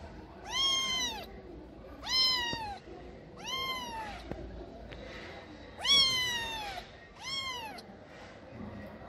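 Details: Homeless cat in Morocco, lost at night with sick eyes, begging for help with loud plaintive meows, each arching up then sliding down, about every one and a half to two seconds, five calls over quiet background hiss.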